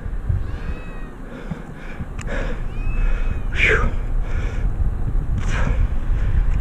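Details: Cat stuck in a tree for six days calls with thin, faint rising-then-falling meows while a rescuer talks to it and offers cat food; low wind and equipment rumble run underneath.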